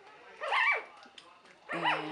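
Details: Three-week-old puppy from Buttercup's 2015 litter, one of them named Barbie; two high arching squeals in quick succession, with a woman's voice between them.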